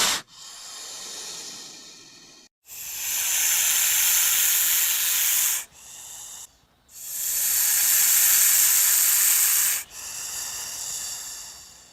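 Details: Snake hissing while attacking: long, breathy, steam-like hisses lasting about three seconds each, separated by brief pauses, with a shorter burst between the louder ones and a fading final hiss.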